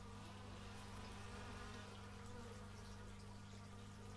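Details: A short stretch of dense bee buzzing, taken in stereo with an x/y microphone. The droning is fairly loud and busy, with shimmering higher tones above a steady low hum.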